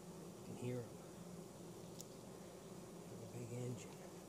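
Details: Honey bees from a swarm caught in 2017, being checked in Mt. Perry, Ohio, hum steadily, with a couple of louder, low-pitched buzzes as individual bees fly close.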